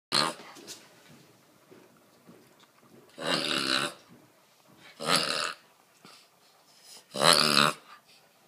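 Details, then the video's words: A Boston Terrier reverse sneezing: three loud, harsh snorting bursts, each about half a second long and spaced roughly two seconds apart, with quieter snuffling breaths between them in a small indoor space. "backwards sneezing"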